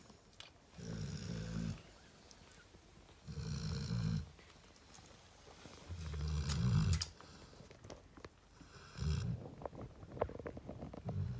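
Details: Narla, a female Cane Corso resting with her puppies, snores deeply. Four long, low, rumbling snores come roughly every two and a half seconds, with quiet pauses between breaths in a small room.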